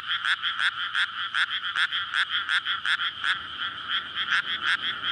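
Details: Rice-paddy frogs calling at night in May after the field is flooded, a courtship chorus for egg-laying, Sony PCM-D100 recording; loud ratchety croaks repeat quickly and unevenly over a constant background of further croaking.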